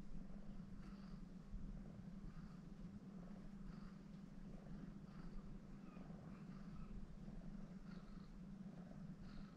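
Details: Kneading on soft belly spots, a female cat from Shimane Prefecture, formerly Agnes of Neco Republic Hiroshima, purrs continuously; deep, steady, rhythmically pulsing rumble with faint higher breathy accents, close and indoors.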